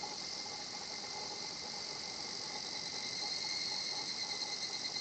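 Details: Higurashi cicada song in a calm Japanese nature spot: a continuous high buzzing shimmer that grows slightly louder and gently pulses in the final two seconds, over faint steady lower tones.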